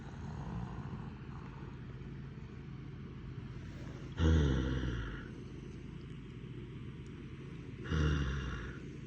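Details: A napping horse gives two deep, rumbling groans a few seconds apart over a low steady hum.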